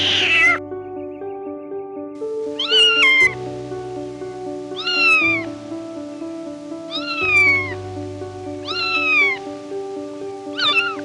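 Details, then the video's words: Cat meowing repeatedly over steady background music: five clear, drawn-out meows, each rising then falling, spaced about two seconds apart, after a brief opening cry. "0:00 Cat"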